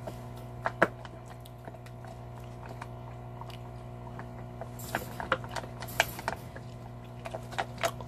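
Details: Salta, a large Belgian Malinois, gnawing a cow bone: scattered sharp cracks and crunches, with a few louder bursts of grinding near the end, over a steady low electrical hum.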